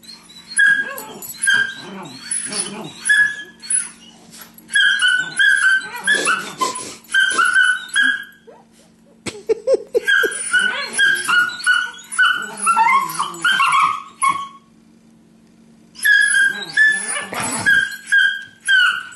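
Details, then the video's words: Two pet dogs, a Beagle and a Terrier, spar playfully without contact on a couch, giving bursts of whiny, yelping growls and yips that rise and fall, in clustered runs separated by short silences, with a steady low hum behind. "Beagle and Terrier Playing"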